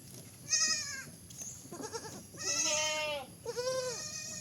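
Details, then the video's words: Baby goat bleating in short, strained, nasal cries, three calls across the few seconds, each rising slightly then falling, with a quieter murmuring sound between them. "funny goat sound"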